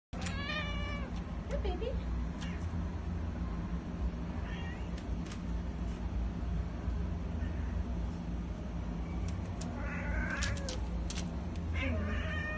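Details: Eight-year-old female Domestic Shorthair cat in a shelter, abandoned by owner, tense and scared, giving a harmonic meow at the start and later wavering cries, over steady loud hum and clatter.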